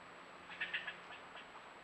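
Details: Fussing squirrel up a tree near a bobcat at a new camera spot: three sharp, raspy chucks in quick succession, followed by fainter echoing chips against steady background noise.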